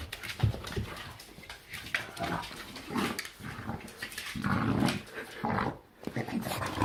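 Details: Bulldog making weird gremlin-like sounds indoors: rough, snorting grunts and throaty growls in uneven pulses, rising to a louder grumbling stretch near the end, with a person speaking to it nearby.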